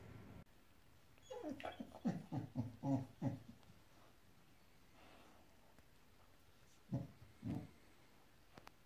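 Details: A five-month-old female Boxador pup, indoors with a new Pinky Pig toy she dislikes, gives a quick run of low pulsed grumbling growls for about two seconds, then quiet, then two more short growls.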